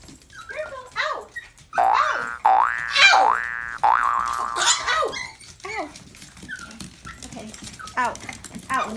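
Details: Poodle welcoming someone home indoors in a small room: long, high, wavering whines and yelps that rise and fall in pitch over several seconds, mixed with a person's voice.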